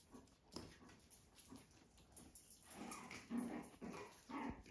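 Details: Puppies playing on a regenerative farm in County Kilkenny, Ireland, chasing other dogs; short rough growly bursts and yelps come in irregular clusters, stronger toward the end, over a faint steady background hum.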